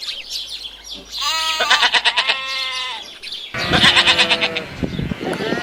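A sheep gives two wavering, nasal bleats, each a drawn-out quavering baa.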